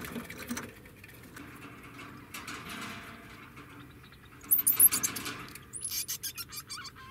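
A degu gives thin, very high squeaks followed by a quick run of repeated chirping calls.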